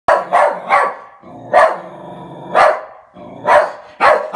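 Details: Oliver, a West Highland white terrier, displeased with a new mail slot, gives sharp mid-pitched barks in quick pairs and singles. Low growly rumbles fill the gaps between the bursts.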